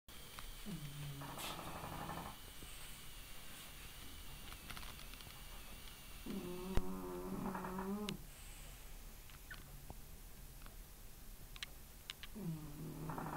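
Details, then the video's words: Porter, an 11-month-old French Bulldog, snoring while asleep: low, rumbling, harmonic snores come in three breath-long bouts about five seconds apart, with quiet room hiss and faint ticks between them. "Porter horkolása/Porter's snoring"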